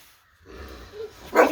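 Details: Morning bark from OG Kong, an American Bully: after a quiet start and faint low rumble, a single short, sharp, loud bark bursts out at the very end.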